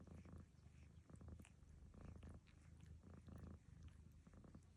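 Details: While Barfi grooms her, Lucy the cat snores. Deep, throaty rumbles pulse roughly once per second, each burst evenly spaced, with soft licking ticks above.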